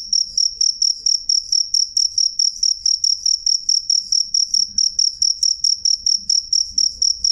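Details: Cricket (jangkrik) with a clear, loud, high, pure-toned chirp in short pulses repeated about three times a second at an even rhythm; faint low rumble underneath, no other animals.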